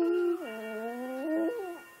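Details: Boston Terrier howling along to Happy Birthday: a sustained, tonal howl that drops in pitch, holds steady, then climbs again in a wavering, song-like line lasting about two seconds.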